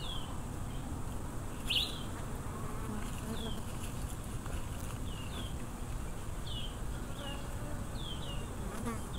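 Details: A steady, low droning hum of a wild swarm of Africanized western honey bees, with faint high bird chirps now and then.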